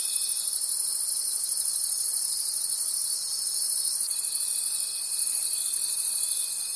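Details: Many crickets singing in a forest after dark, their high rhythmic shimmer throbbing about three times a second; a thin continuous whine drops out briefly, then returns.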